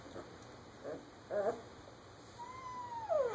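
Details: German Shepherd puppies, fifteen days old, playing together in a litter; a few soft squeaks, then a thin drawn-out whine that rises slightly and slides down, with quiet human speech around it.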